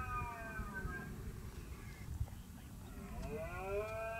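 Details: A red deer stag gives drawn-out, harmonic rutting roars during the autumn rut in Soria, Spain, on 29 September, rising and sagging in pitch over steady wind rumble.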